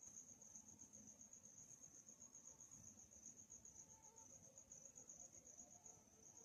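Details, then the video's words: Crickets chirping at night, calm atmosphere; a bright, high, constant pulsing trill dominates the whole short stretch, steady in pitch, with only faint low-frequency hum beneath it. "Night Chirping Sounds"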